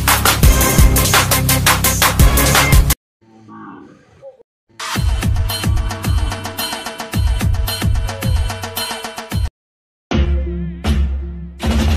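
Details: Loud electronic music with heavy beats, broken by two short near-silent gaps; no animal sound is heard.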